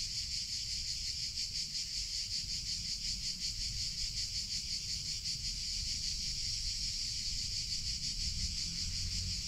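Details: Cicadas singing in summer: a dense, continuous high buzz with a fast pulsing shimmer throughout, over a soft low rumble in the background.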